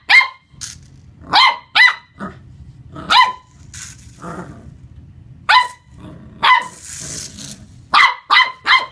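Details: Young Corgi barking at a remote-control car during play: loud, shrill yaps coming singly and in quick doubles, over a steady low mechanical hum, with a short hiss of noise midway.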